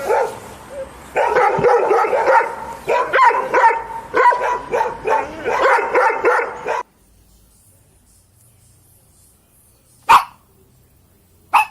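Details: A dog barks steadily in loud, tonal bursts that run together for about seven seconds. After a near-silent gap come two lone, sharp barks.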